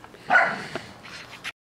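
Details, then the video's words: Rhodesian Ridgeback Mak playing with Kaia, an Australian Cattle Dog: one loud bark, strongest around a third of a second in, followed by fainter scuffling sounds as the two dogs play together. "Rhodesian Ridgeback Mak Playing With Kaia"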